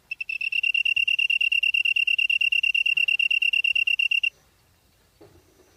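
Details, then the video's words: Grass-dwelling bug heard in Namyangju, Gyeonggi-do, Korea, on a September evening in 2016: a fast, even series of high ringing pulses lasting about four seconds, then stopping, followed by quiet with a faint low rustle. "풀벌레 소리/sound of a bug / живущие в траве /虫の音"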